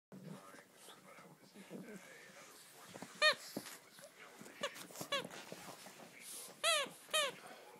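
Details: A Japanese Chin, a Japanese Spaniel, full of energy on waking up, gives a few short, high, sharp yelps and squeaky whines, loudest near the end, indoors with soft rustling and quiet background sounds between the calls.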